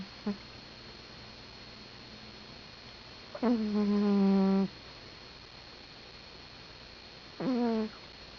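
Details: Sleeping pet cat Patty snores indoors: a brief soft snort, then a steady buzzy droning breath lasting over a second, and a shorter similar snore a few seconds later, with quiet room tone between.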